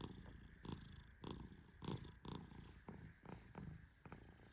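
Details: Male Persian cat Tehran snoring while asleep and being gently stroked; husky low puffs arrive in irregular runs, a few louder than the rest, over a soft background hush.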